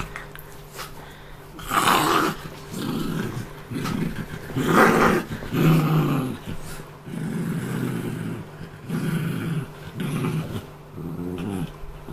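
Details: Pet Australian terrier cross Peapea growls steadily indoors to protect his toy after a meal, while a person and Buibui, a Scottish terrier x Shih tzu cross, bother him. Low, rumbling growls repeat every second or two, with louder surges throughout.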